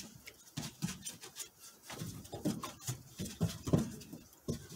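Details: Border Collie puppies play fighting, pouncing and going for the face; short low growls come in bursts alongside scuffling and pattering of paws in a small indoor room.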